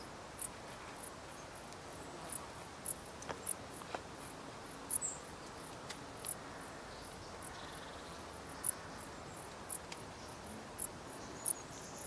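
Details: Dark bush cricket chirping: brief high, scratchy pulses repeated irregularly, loud and soft ones interleaved as if from more than one singer, with a few faint clicks in a quiet setting.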